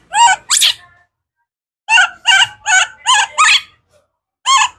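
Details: Hungry for fruit, young wild monkey Kaka lets out clean, wavering, squealing cries, two at first, then a steady series of five after a pause, with one more at the end.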